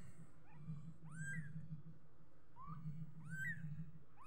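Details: Kitten uttering soft, rising high-pitched mews, a few in quick succession, over a continuous low hum.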